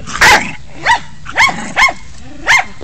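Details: Jack Russell Terrier acting tough and protesting because he dislikes having his legs touched, never biting; five sharp, high barks or yips, irregularly spaced over about three seconds, indoors.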